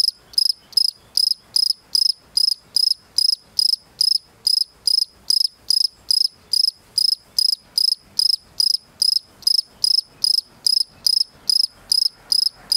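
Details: A male European field cricket (Gryllus campestris) gives steady, high, ringing chirps, about two or three each second, to attract a female.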